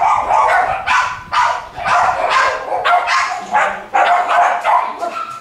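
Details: West Highland White Terrier puppies of a litter, both boys and girls, at a licensed breeder's kennels: a dense run of high, sharp yips and barks, overlapping in quick bursts from several pups with hardly a pause.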